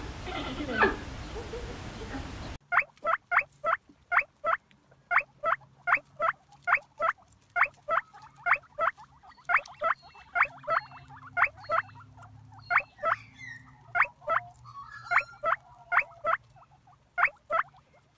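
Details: A guinea pig (Cavia porcellus) gives a steady run of short, sharp squeaks, about three every second.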